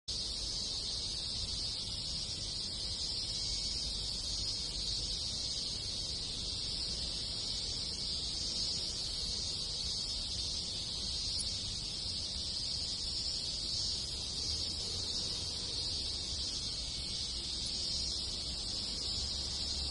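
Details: Many cicadas and other insects in summer countryside in a rural Japanese village, their shrill buzzing merging into a dense, unbroken high hiss that holds steady for the whole stretch, with a faint low rumble underneath.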